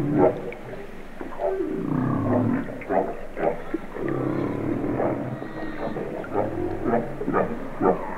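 Humpback whale song of low moans and sliding tones, rising and falling in slow, overlapping phrases.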